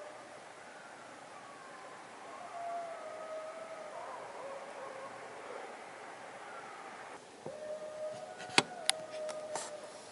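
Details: Eastern coyote family howling at night in central Massachusetts on October 21, 2012: long wavering, sliding howls overlap at a distance, a louder steady howl entering near the end, with a few sharp clicks.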